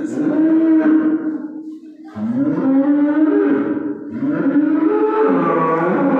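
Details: Three prolonged, plaintive moos from a calf the day before Eid al-Adha, each slightly rising and then holding, with brief gaps between them.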